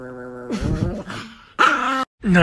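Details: Angry Chihuahua growling: a steady low harmonic rumble opens, then rough, noisy snarling bursts follow, broken by abrupt cuts and a brief silence between short segments.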